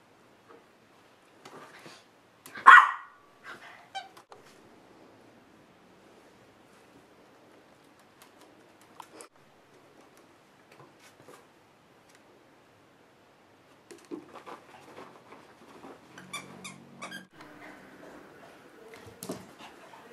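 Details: Two dogs, a Golden Retriever and a Maltese, playing together; one sharp loud bark rings out early, followed by a long quiet stretch, then soft scuffling and faint yips from the play.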